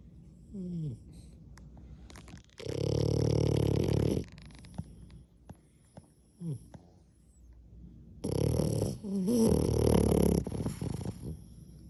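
A French Bulldog snores in long, rough, rumbling breaths, with quieter snuffling sounds between them.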